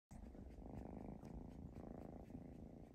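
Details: Kitten in a home in Vancouver, Canada, purring steadily and close up, a continuous low rumbling throb lasting about three seconds.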